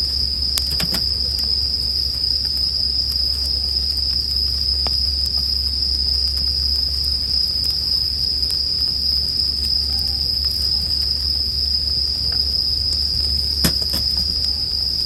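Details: A bright, even bell cricket trill rings on without pause over a low steady rumble, broken by occasional crisp crackles from a campfire.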